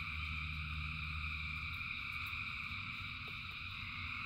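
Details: Massed frogs calling in rain give a steady, dense high trill without gaps, while a deeper droning hum sits underneath during the first half before fading into a rougher low rumble.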